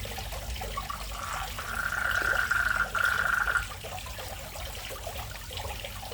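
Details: Frogs that have moved into a fish pond in front of a house, calling. A steady buzzy trill at mid pitch lasts about two seconds, breaks briefly, then resumes for another second over a background of trickling water.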